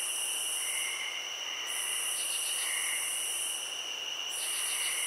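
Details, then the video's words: Field crickets sounding together, a continuous piercing trill with a higher shrill layer that stops for about a second, plus brief rapid pulse bursts and faint lower tones. "Cricket Sounds"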